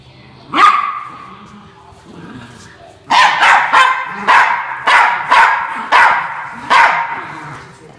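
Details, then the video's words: A single rising yelp opens, then after a quiet stretch with faint low voices the Norfolk Terrier Ernie, protecting his bean bag chair, lets off a rapid string of about eight sharp barks. "Norfolk Terrier Ernie Defends His Bean Bag Chair"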